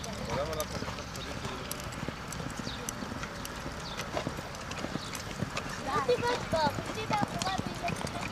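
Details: Quarter Horse mare in training, hooves clip-clopping in a loose rhythm of about 107 beats a minute, with a woman talking in Hebrew and faint chirping birds in the background.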